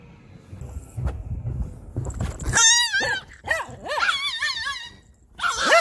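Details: Tiny Chihuahua puppy at a dog beach in California, intensely growling and barking while fighting off a Siberian Husky: rumbling noise, then a run of high, wavering yelping whines and sharp yips, with a person talking.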